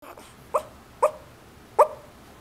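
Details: An old female Yorkshire Terrier gives three soft, muffled woofs in her sleep, spaced about half a second apart, in a quiet room; a Senegal parrot may be heard talking in the background.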